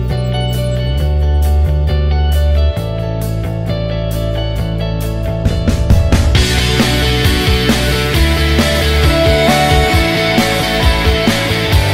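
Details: Loud rock music with heavy guitar and drums plays throughout, with no animal sounds. The band grows brighter and busier halfway through.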